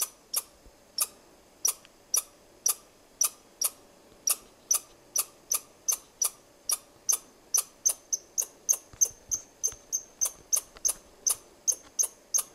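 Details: Chirping squirrel scolding the person filming, with sharp high chirps that start spaced out and quicken to about three or four per second, some doubled, in a quiet setting.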